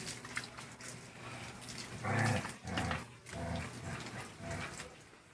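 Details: Aspin dog Toyoyong, a five-month-old puppy, at bath time with his mother and a young dachshund; low, throaty dog sounds in short bursts, the loudest near the middle, over running-water noise.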